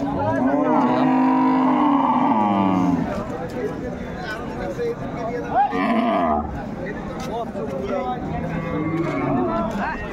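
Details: Dairy cattle of improved breed at Ambari livestock market, 21 May 2024: a drawn-out moo of about three seconds opens, then voices and market chatter take over, with a brief shorter bellow near the middle.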